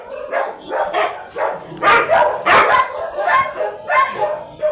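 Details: Large yellow Labrador Retriever at a stud service in Manaoag, Pangasinan, Philippines: a run of loud, harsh barks repeated roughly every half second, uneven in spacing.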